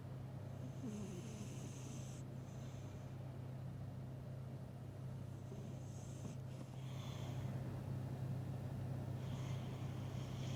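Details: A cat asleep and apparently dreaming about food snores in slow, airy, rasping breaths, with several longer hissy bursts spaced a few seconds apart, and a droning low hum underneath throughout.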